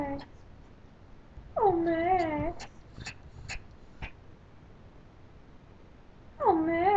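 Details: Begging for rice, a pet Pomeranian called Max gives a long undulating whine, goes quiet among soft clicks, then starts another rising cry at the end.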